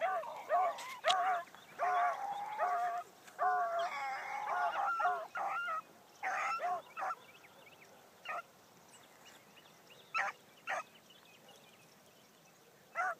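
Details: Bee, a Blackcreek gyp out running for the first time in the morning, bays in a busy burst of honking barks that thins to scattered single chops separated by longer silences.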